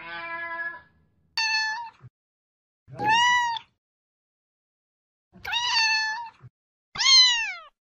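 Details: Young cats meowing five times in short, sharp bursts, several sliding downward at the end, spaced irregularly with quiet between, and faint low thumps beneath a few calls.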